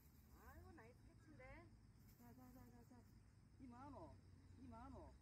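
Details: Jindo dogs showing jealousy of each other on a walk in Busan, with short rising-and-falling whines in quick bursts, some stacked and wavering, over steady low background rumble and a person talking nearby.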